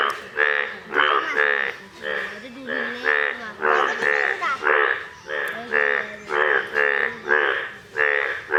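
Indian bullfrogs give loud, nasal, bleating croaks in quick succession, several calls each second or so.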